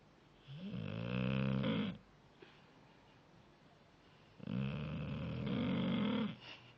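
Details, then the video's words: Jaicoooo the dog snores in a small room, two long, loud, throaty rattling snores, each lasting roughly one and a half to two seconds, with a quiet breathing pause between them. "Jaicoooo roncando"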